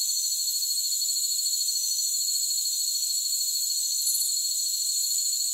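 Crickets chirp in a steady, high-pitched, unbroken shimmer with no other sounds.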